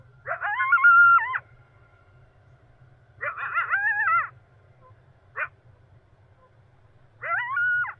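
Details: Coyote at dawn near a camping site, giving wavering, quavering howls about a second long with sudden pitch jumps. Four bursts come roughly every two seconds, one of them a brief yip, against a quiet background with a faint low rumble.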